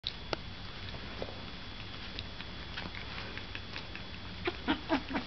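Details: Puppies; after a stretch of faint pattering and rustling, four short high squeaky whimpers come in quick succession at the end, over a steady electrical hum.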